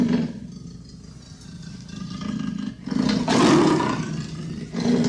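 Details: A leopard produces a rough, throaty growl that builds from a low rumble into a loud, broad rasping roar near the end.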